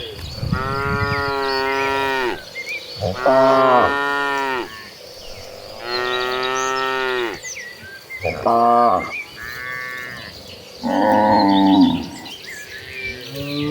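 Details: Herd of cattle running toward green pastures, mooing repeatedly: long harmonic moos of about two seconds follow one another every few seconds, with shorter lowing calls and faint high chirps in the background.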